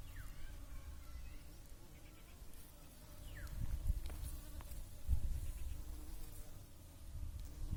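Bees hum with a low, steady drone that swells and fades as they fly close.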